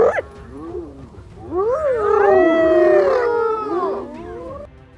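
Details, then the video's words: Hyena squealing with ghostly screams after a lion bites it in the neck; a wavering, rising and falling squeal with sliding harmonics swells over a couple of seconds, with low rumbling noise and overlapping music beneath. "Die Hyäne quietscht gespenstische Schreie."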